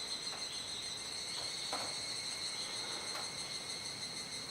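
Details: Evening cicada chorus at Kuji in Iwate Prefecture, July 2017, rainy season, the singers unseen: an unbroken shrill, high ringing hum with a few brief soft clicks.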